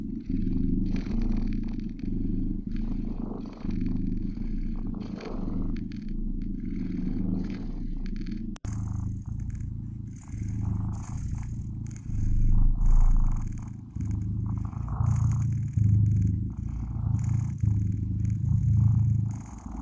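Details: Cute blue British kittens purring in a deep, even drone that grows louder toward the end, with a brief click midway and faint rustling.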